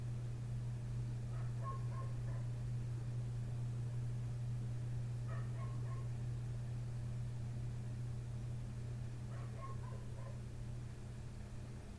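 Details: A next-door dog outside a window at night keeps barking, from 1:30 am with no let-up by 3 am. Three faint clusters of quick barks come about four seconds apart over a constant droning low hum.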